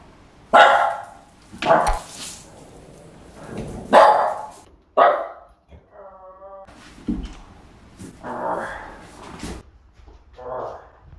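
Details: Pug dog barking while reacting to a person wearing a scary Halloween werewolf mask: sharp loud barks in irregular bursts, about six over eleven seconds, with a brief musical tone and faint human voices between.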